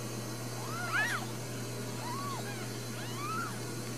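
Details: Four newborn Ragdoll kittens at a Kansas home cattery, with another birth expected; soft high wavering mews, three short cries spread across four seconds, faint against a steady low hum.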